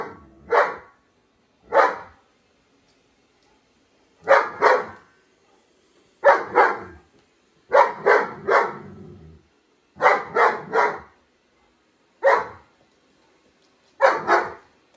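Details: Indoor German Shepherd barking at a robot vacuum: single barks and quick doubles or triples spaced about two seconds apart, loud and clear against a quiet room.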